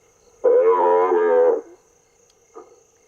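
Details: A recorded African buffalo calf distress call, a drawn-out nasal bawl followed by a brief fainter bleat, played from speakers in Africa to lure lions, which can hear it from miles away.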